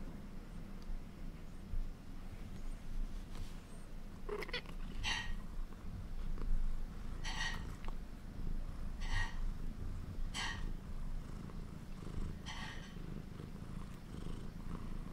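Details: Cream British Shorthair kitten making hunting sounds indoors: a steady low rumbling purr throughout, broken by about six short, faint chattering bursts at irregular intervals of one to two seconds.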